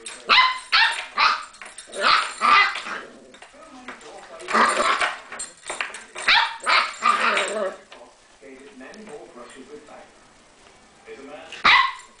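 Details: Nine-week-old English Springer Spaniel puppy tugging at the back door keys, yapping in quick, harsh barks and growls, then quieting while a person talks softly, ending with one sharp yelp.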